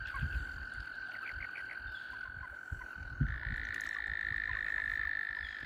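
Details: Frogs mating all over the place around a kayak give a constant high trill; a few quick chirps sound early, then a second louder trill joins after three seconds, layered over low water knocks.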